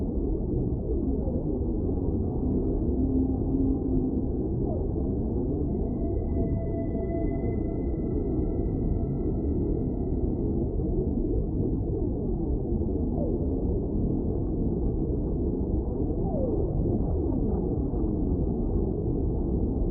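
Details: Whale song over constant deep underwater rumble: a brief low hum early on, then several long, steady high tones layered together for roughly five seconds, with occasional faint downward-gliding notes scattered throughout.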